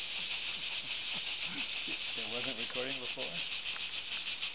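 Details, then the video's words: Cicadas in the trees up on a mountain in hot summer, a dense, shrill, unbroken high buzz with faint rapid pulsing, loud enough to drown out conversation; soft human voices murmur underneath. "Cicada Noise"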